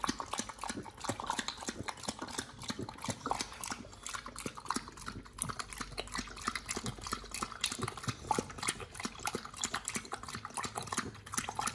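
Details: Pit Bull Nomyen chewing raw sole, silver pomfret, Indian mackerel and duck feet; a dense, steady stream of crackling crunches and moist squelches runs throughout, with no pauses and no other sounds.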